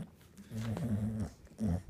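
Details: Rue, an English Bulldog, growls while playing with a ball: a low, rumbling, harmonic growl lasting under a second, then a brief second grumble after a short pause.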